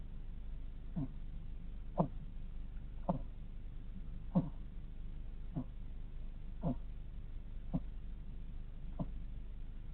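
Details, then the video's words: Sleeping hedgehog snoring quietly indoors, soft low snuffling breaths repeated roughly once a second in an even rhythm, each a brief puff against a faint steady background hum. "Sleeping hedgehog snoring"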